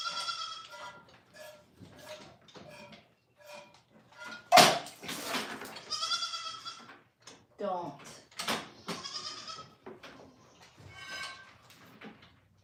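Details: A goat at The Willful Goat Farm & Home bleats several times, in short nasal calls and longer wavering ones, mixed with a woman's speech and a sharp thump.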